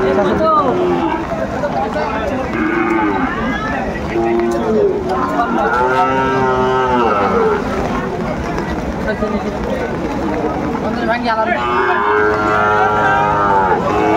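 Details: Lowing of Sahiwal bulls at a Madaripur cattle market during rain, 3 September 2024. Long, wavering moos come in bursts, overlapping with steady chatter of buyers and sellers.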